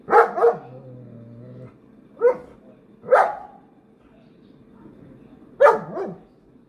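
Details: German Shepherd dog with a rabbit nearby, giving a quick double bark then single loud barks at about one-second to two-second gaps, each bark harsh and broad, with a low hum in the background.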